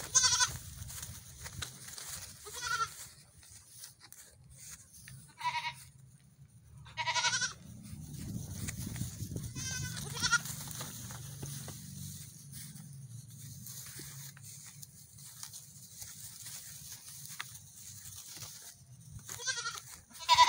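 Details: Young goat kids on a morning run, bleating in short, nasal, quavering bursts every few seconds, with a low rumbling background and faint bird-like chirps between calls.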